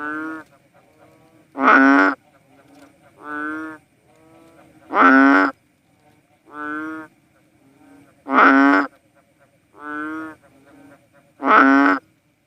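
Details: Philippine banded bullfrog, known as cowsound frog, giving deep, nasal, moo-like calls about half a second long. A louder and a softer voice alternate, a call roughly every 1.6 seconds, with a faint background chorus.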